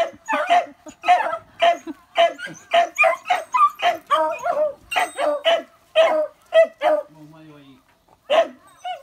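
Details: On Amami Oshima, Japan, a Beagle barks while newborn puppies, nieces of the dog Gonta, are visited. Rapid, fairly regular barking runs for several seconds, then a short gap, one more bark and a faint human voice.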